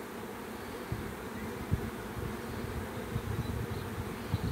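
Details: A swarm of bees gives a thick, droning hum, steady throughout, with a few brief louder thumps standing out over the constant low buzzing.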